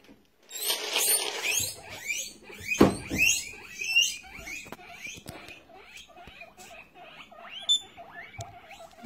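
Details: Guinea pig at play, giving a run of short squeaky, slightly wavering notes, repeated quickly toward the end, after an opening burst of clattering, rustling and handling noise, with a brief voice nearby.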